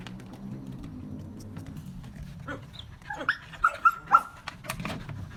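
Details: A Belgian Malinois being trained to bark on command gives a few short, sharp barks over a low background hum.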